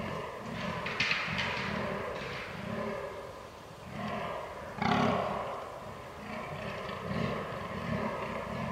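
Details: Fallow deer rut, 22 October 2022, Canon R6 recording: a rapid series of guttural, belching grunts with a brief lull midway, then a sharp louder groan and the pulsing series resuming.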